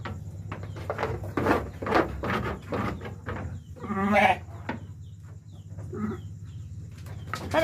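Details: Sheep bleating while lambing: a single strong tremulous bleat midway, surrounded by people talking and handling noises and a constant low background hum.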